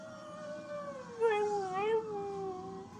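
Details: One-year-old rescue dog Ruby, a chihuahua, pitbull, German shepherd, Jack Russell and rat terrier mix, gives a sustained mournful howl at fire truck sirens, a steady tone that wobbles and dips twice midway before levelling off.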